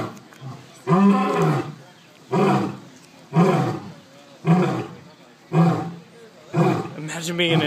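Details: Lions at a big cat sanctuary in Sarasota, Florida, communicating with a series of deep, grunting roars, each about a second long, roughly once a second.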